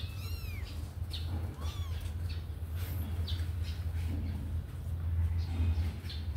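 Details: Thin, rising-then-falling kitten mews sound twice early on, high and arched. The kittens have just come out of their cage to run and play, with a constant low droning hum and light tapping behind.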